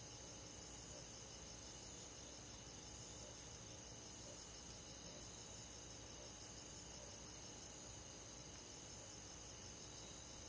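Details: A summer-night chorus of crickets and forest insects: continuous shrill high trilling layers, with a short run of sharp ticking clicks near the end.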